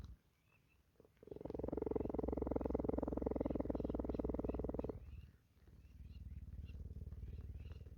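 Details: Purring cheetah at a sanctuary, grooming in the rain: a steady, rapidly pulsing low purr holds for nearly four seconds, breaks briefly, then resumes more softly.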